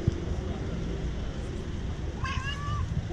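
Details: Male street cat with a white point on his tail, living in front of a shop, meowing very loudly for love and food: one short meow that rises then holds level, over low traffic rumble and nearby voices.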